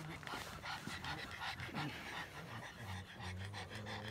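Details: ['Pug grumble: a busy stream of snorting, breathy puffs over a low, wavering vocal rumble, with a steadier droning growl near the end.']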